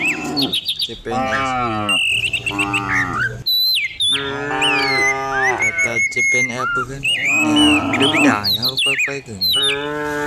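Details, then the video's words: Dozens of cattle driven down a hill in the morning in village countryside; near-continuous lowing from several cows, overlapping long and short moos, accompanied by frequent bright bird chirps and whistles. "Herding dozens of cows down the hill every morning, cow sounds"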